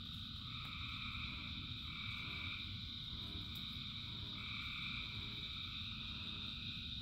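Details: Rain-soaked frog chorus of thousands: bright continuous high trill dominating, with mid-pitched calls swelling in and fading out every couple of seconds, over an even wash of falling rain.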